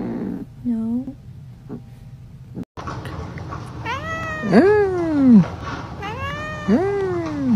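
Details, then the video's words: A domestic cat reacting to food gives drawn-out, arching meows that rise and then slide down, two long calls near the end after a short soft mew, over a steady low room hum. "FUNNY CAT REACTIONS TO FOOD"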